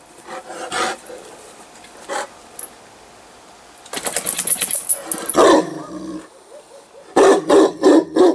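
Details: Newfoundland dog reacting on seeing a hedgehog; scattered short deep barks and huffs, a noisy rustling burst in the middle, then a quick run of three barks near the end.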